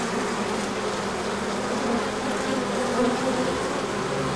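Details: Bees out on a large orientation flight once the sun appeared after colder weather, March 2024. A rough, even hum of many wings, with faint wavering tones rising briefly near the end.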